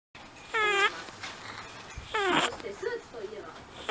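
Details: An eleven-year-old pet rabbit snoring in its sleep with a whistling 'pee-pee' snore: high, nasal squeaks with an upward-curling pitch, each under half a second, separated by quiet gaps with soft breathing sounds.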